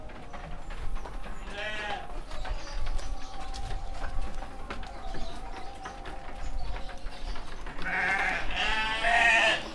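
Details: Seven-month-old male sheep on a farm at Sidomulyo village, Kediri regency: two loud wavering bleats, one near the start and a longer one at the end, with a steady hum, clapping and muffled voices between.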